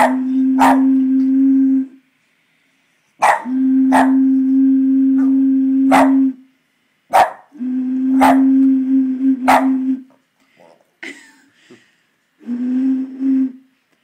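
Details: A Boston Terrier that can't stand the noise of a bottle gives drawn-out, steady-pitched vocal sounds broken by sharp crackling pops.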